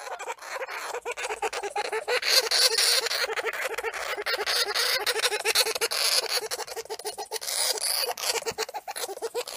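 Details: Banjo, a pet hamster, screaming his lungs out in a fast, steady run of harsh, raspy squeals, roughly four per second, each buzzy and noisy with a low nasal core, continuing for the whole stretch.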